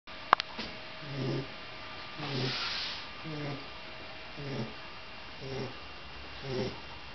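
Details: Loki, a puppy of 10 weeks, deep in sleep: soft snores repeat about every second, each a short low nasal rumble followed by a breathy exhale, with a click near the start and a faint steady hum.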